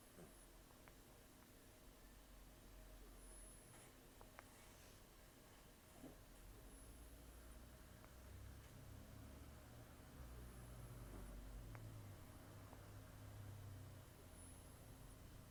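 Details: Old rescued cat Taro, around 10 to 14, asleep and snoring heavily through the nose; thin whistling breaths return about every three seconds while a deeper low rumble swells in the second half, indoor hum throughout.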